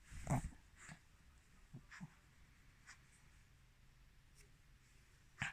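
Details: Female Mal-Shi named Chirol, a Maltese-Shih Tzu cross born 22 July 2017, filmed 14 November 2020: one abrupt explosive sneeze at the outset, quiet sniffing breaths after it, and another sharp burst right at the end.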